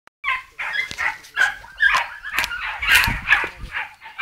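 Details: Maremma hound puppies only two and three months old, hunting wild boar, give high, yelping barks in quick, uneven bursts, several voices overlapping.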